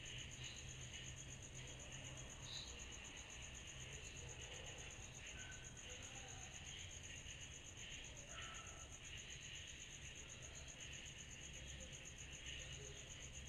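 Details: A summer-night cicada chorus forms an unbroken, high shrill drone with a lower steady band beneath. A few brief, faint whistled notes rise above it now and then.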